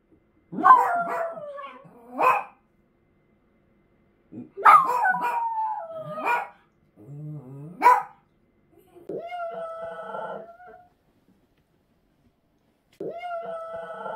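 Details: Thirteen-year-old Miniature Dachshund Choco, in palliative care for a brain tumour and now howling instead of barking, gives yelps sliding into short falling howls, twice in bursts, then longer level howl tones near the end, with silent gaps between.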